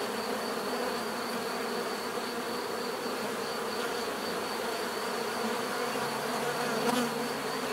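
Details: Constant buzzing of many bees forms an unbroken low drone, with a brief brighter click-like burst near the end and a faint high steady whine in the background.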